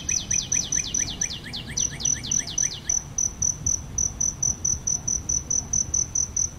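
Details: Cricket near a blooming aloe vera producing a high, rhythmic pulsing chirp; a quick run of downward-sweeping notes fills the first three seconds before the pulses continue alone.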